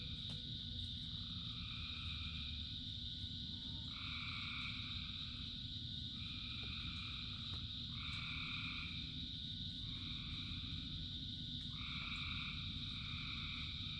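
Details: Many frogs singing during rain, short droning trills following one another almost without pause above a constant shrill background chorus, with rain drumming low and steady throughout.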